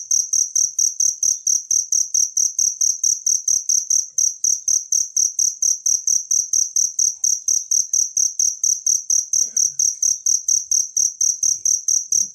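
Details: Natural cricket sound used as a master recording for training songbirds: a loud, high, ringing chirp pulsed steadily about twice a second without pause, each pulse a bright trilled burst, over a faint low hum.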